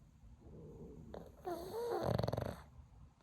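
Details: Sleeping pug, described as hibernating and hard to wake, snores with grinding teeth; a rough, pulsing snore swells in the second half, with a brief rising whine-like tone before it, over low room hum.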